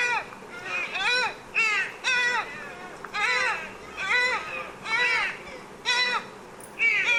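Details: Deer calling in a steady series of clear, arched, nasal bleats, roughly one per second, each rising then falling with strong overtones, over a quiet background hiss.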